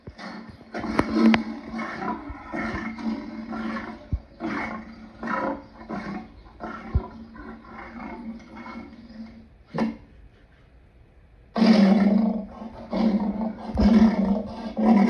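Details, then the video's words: Lion's grunting roar sequence of rasping pulses, fading to near silence around ten seconds, then resuming with a louder, fuller burst of grunts toward the end. "Lion sounds part 2"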